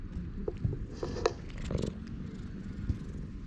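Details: Purring stray cat in a park, happy while being petted, captured with a GoPro HERO8: a short stretch of dense, pulsing low purr with light touching and rubbing sounds.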